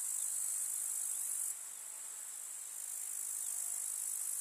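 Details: Chorus of grasshoppers in a summer countryside meadow: a constant piercing high hiss of stridulation, louder at first, then dropping sharply in volume after a second and a half before rising again slightly.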